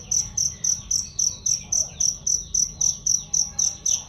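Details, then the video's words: Cricket chirp for songbird training: crisp high pulses repeated regularly close to four times each second, about sixteen chirps, clean, with only faint background twittering. "masteran jangkrik untuk burung"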